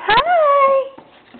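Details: New puppy, recorded March 4th 2006 indoors; one thin, high whine that rises sharply, then holds a steady pitch for about a second before fading, with faint room noise afterward.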